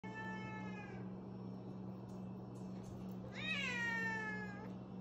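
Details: Bengal kitten reacting to an apple gives two meows, a falling one at the start and a louder, higher, drawn-out one about three seconds later, over a steady low electrical hum.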